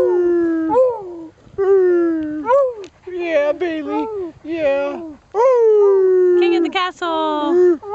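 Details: A Beagle howls and 'sings' along with his owner atop the ramp at Winter Haven Dog Park: long wavering howls that slide up and down, broken into repeated phrases, over the owner's singing and background music.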